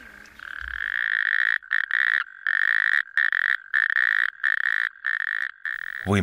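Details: Natterjack toad spawning chorus in Estonia, at the northern edge of its range, where only 15 populations remain; a loud call audible from kilometres away. Steady high trilling churr in long repeated bursts with short gaps, ending with a brief rising sound.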